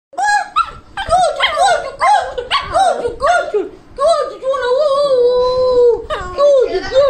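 A Lhasa Apso gives quick, high-pitched arching yaps, then a drawn-out whining howl.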